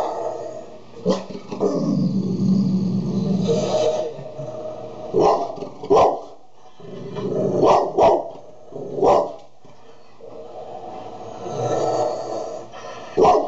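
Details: Dogs, a Golden Retriever calming down a Labrador: long low rumbling growls broken by sharp single barks and short yelps, with quiet gaps between bursts.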